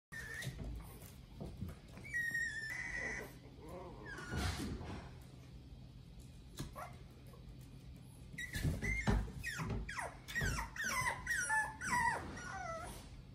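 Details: A small puppy, much smaller than a toy poodle, gives thin, high whines and squeaks that sweep up and down, in scattered bursts, with a clattering noise in the background.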